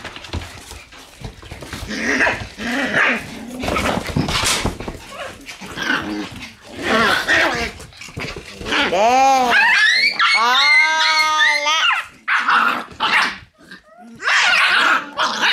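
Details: Shiba Inu puppies in their puppy room on October 6 give high, arching whines and sharp yelps, clustered in a string near the middle, amid scuffling and people talking nearby.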